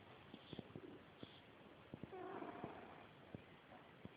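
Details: Bowy, a female house cat, gives one hoarse, wheezy snore just under a second long with a faint droning tone, between scattered soft clicks and light rustling.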